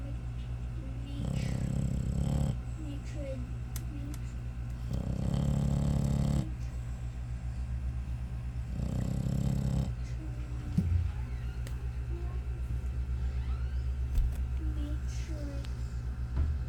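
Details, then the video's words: Pet American Bully dog snoring: deep rumbling snores in long bursts roughly every three to four seconds, with faint voices and household sounds in the background. "SNORING AMERICAN BULLY"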